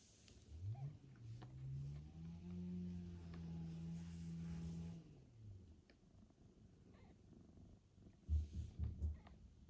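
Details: Domestic cat at home during a reunion: the mother cat Mosya, back from days at a veterinary clinic after a difficult birth and surgery, with her newborn kitten and the other house cat Ginny. A low, drawn-out moaning call with rich harmonics lasts about five seconds, then tails off; soft bumps follow.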